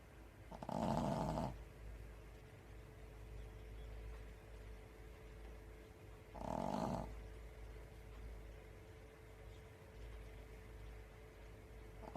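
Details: Sleeping Pekingese lying on top of its toilet gives two loud, grating snores roughly six seconds apart, each lasting close to a second, over a quiet room with a constant faint electrical hum.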